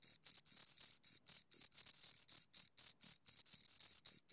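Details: Bright, piercing chirps from two crickets in an uneven sequence of short clicks and longer buzzy trills, fast and unbroken, nothing else audible.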